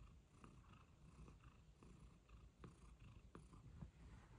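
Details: Domestic cat purring, one of two best-friend cats, Pizza and Luna, that like to share the sunshine; a steady low rumbling purr with rhythmic breathing pulses and a few soft clicks above it.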